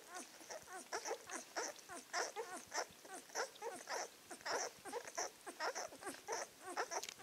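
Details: A 2016 litter of Czechoslovakian wolfdog puppies, nine days old and weighing about 1 kg, starting to interact with each other, keeps up a steady stream of short squeaky whimpers, several overlapping pups calling roughly once a second.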